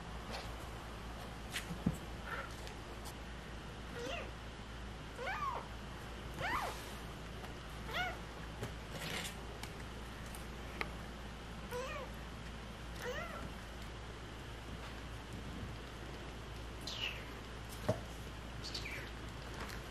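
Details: Stray cat family with kittens, thin high meows scattered through twenty seconds over steady low background hum, with occasional clicks and rustles.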